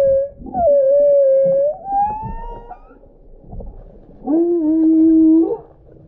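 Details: Humpback whale song, described as loud and eerie: smooth tonal moans that sweep and rise, with a long wavering note, then a steady lower held tone layered with upper harmonics.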